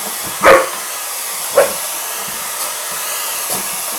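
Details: Sixteen-month-old Rhodesian Ridgeback bitch Joy going after a hair dryer at home: a strong bark, a shorter softer bark about a second later, and faint thuds, all over the constant hiss of the blowing dryer.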